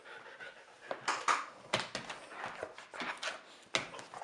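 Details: A 13-week-old German Shepherd service dog puppy in training playing tug indoors with a 13-year-old dog: quick breathy panting and short scuffling bursts, with a brief whimper-like squeak.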